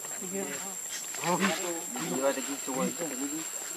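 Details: Baby monkey Lucie, very hungry for milk, cries in a run of wavering, squeaky, harmonic calls that rise and fall in quick bursts, loudest midway, with a steady high hiss behind.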